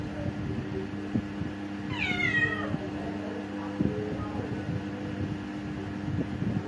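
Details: Orange cat visiting a home, giving a single descending meow of about half a second, with a low background hum and faint knocking sounds.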